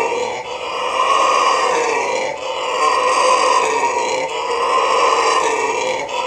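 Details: A red howler monkey at a zoo in Trinidad and Tobago gives a deep, raspy roaring howl in long drawn-out bouts.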